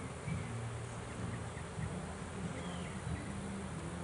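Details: Trapped swarm of bees being handled as they are pulled from a swarm trap: a dense, low, fluttering hum, rising and falling slightly, with faint distant chirps above.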